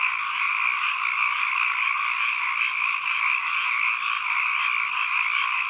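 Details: Frogs calling as ambient sound: a dense chorus of many overlapping croaks merges into a steady, unbroken trill-like wash at mid-high pitch, with no pauses and no other sounds.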